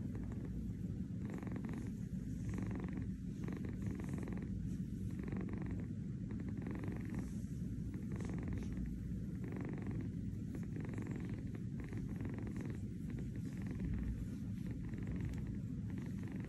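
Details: Kitten named Kurt, who lives with his brother Gunther in New York, purring while napping on a fuzzy bed indoors; a steady low rumbling purr pulses with each breath, roughly once every second, with no other clear sounds.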